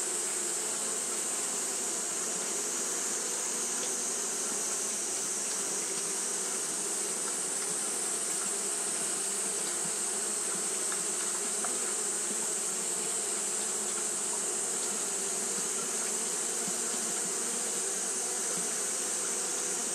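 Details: Twenty seconds of Japanese honey bees fanning during hot weather: a thick, continuous droning buzz, gently fluctuating in its lower tones, with a strong unbroken hiss high above.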